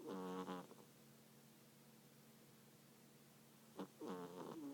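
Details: A sleeping cat gives two loud, buzzy, harmonic snores about four seconds apart, each a rough wavering breath lasting under a second, with a quiet steady hum in the room between them.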